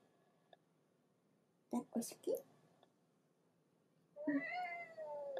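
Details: Cat held in its owner's arms wants to get down and meows angrily: a long, drawn-out falling meow near the end, after several short scuffling sounds in a quiet room.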